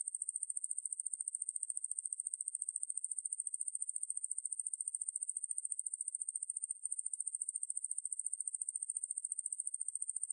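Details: Conehead katydid Ruspolia lineosa singing in a 2020 National Institute of Biological Resources recording, with a long, even, piercing buzz of quick regular pulses, a single tiny gap, and otherwise silence around it.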